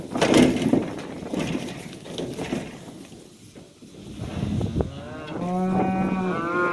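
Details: Cattle, cows and calves, heading out to green summer pasture on a farm; after scuffling, shuffling noises early on, a single sustained moo with a steady low tone rises near the end, other hoof and movement sounds around it.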